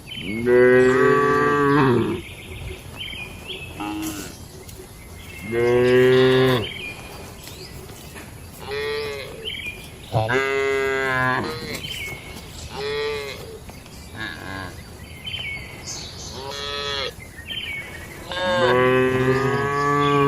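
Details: Several moos from tame barn cattle on a peaceful farm, eating and gathering together; about seven calls over twenty seconds, long and harmonic, some short and higher, spaced irregularly with faint background noise.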